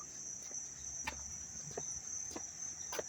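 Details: Crickets calling loudly in Dobbs Ferry, New York, on August 19, 2025: a continuous thin, high buzzing trill, broken by several crisp clicks spaced about half a second apart.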